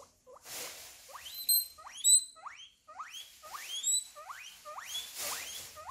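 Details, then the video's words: A guinea pig gives a rapid run of shrill, rising squeals, each sweeping sharply upward; such squeals may signal pain, a need for attention, or another guinea pig taking its favourite eating spot. "Guinea pig noises 😂😂😂"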